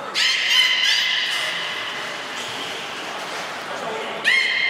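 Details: Beluga at Port of Nagoya Public Aquarium, training session with Nana and Nico, 7 October 2018: a short burst of high harmonic squeaks opening, a quieter echoing stretch, then another bright whistle starting near the end.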